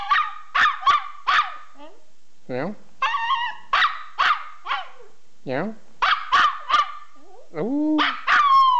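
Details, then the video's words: Pet dog enjoying himself, giving a quick run of sharp yips and short barks mixed with brief sliding howl notes and wavering low moans, in bursts with short silences between. "Cute Talking Dog"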